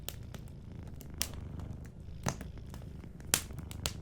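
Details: Sleeping cat giving a soft, low rumbling purr while a fireplace snaps and crackles with several loud sharp pops.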